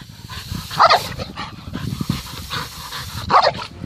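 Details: White dog barking to threaten an American badger that has come onto its property, without attacking it: two loud, sharp single barks about two and a half seconds apart, with softer scuffling and movement noise between.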